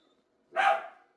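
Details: A single short, loud dog bark, sudden and rough, fading quickly into silence.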